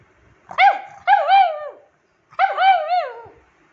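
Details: Nine-year-old rescued female pug demanding attention at home: three loud, yelping, whining calls, each rising then bending down, the first two close together and the third after a short pause.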